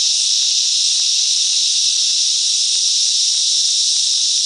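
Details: Many cicadas singing together among the bush mangroves of Coffs Harbour, NSW, Australia: an even, piercing buzzing wash that never breaks, with a few faint ticks underneath.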